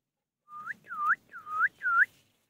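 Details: A Golden Retriever puppy gives four quick, high, tonal whines that dip and rise again.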